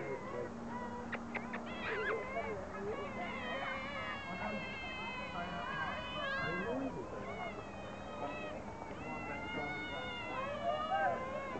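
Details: Miaowing otters calling almost without pause: a busy run of bending, harmonic mews and short chirps that overlap, with some clicks and faint voices in the background.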